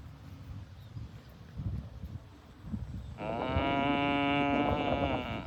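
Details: A farm cow being herded to the barn gives a long, loud, steady moo after a few seconds of low rumbling background noise.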